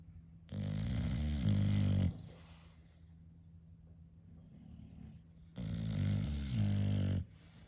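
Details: Sleeping English Bulldog giving two loud, drawn-out rattling snores about five seconds apart, each rough and buzzy with a slight rise midway, quiet breathing and a steady hum between.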